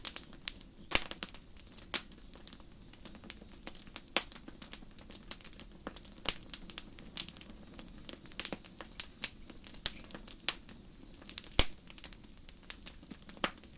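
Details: Night-time forest crickets under a starry sky, near a quiet campfire, give high trilled chirps in bursts about a second long, spaced roughly two seconds apart, while sharp crackling pops from the fire dominate.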